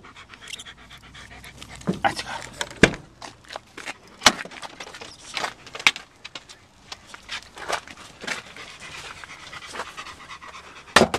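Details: Black German Shepherd dog panting in quick, breathy bursts, a steady run of soft huffs with a few sharper exhalations, while a person speaks now and then in the background.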